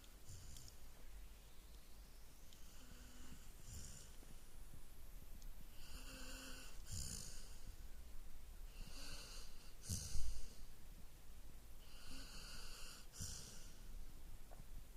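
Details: Golden Retriever asleep, snoring in regular wheezy cycles about every three seconds, each breath a hissing rasp with a low nasal drone, soft room background.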